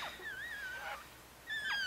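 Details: Soft squeaks from a four-day-old Chihuahua pup of Bess's five-puppy litter, Fredericksburg, Virginia: a quiet, wobbling whistle-like cry fading out, then a short, sharper squeal near the end.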